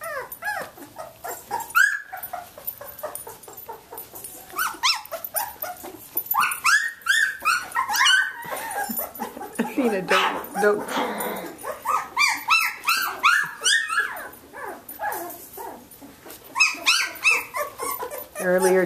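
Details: Seventeen-day-old Samoyed puppies from Athena's litter playing indoors: many overlapping high squeaky whimpers and yelps in irregular bursts, with a person's voice and rustling handling noise in between.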